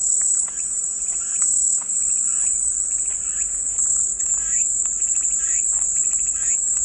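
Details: A continuous shrill cicada chorus, an even high hiss without pauses, while faint short chirping notes flicker in the background; presented as soothing white noise.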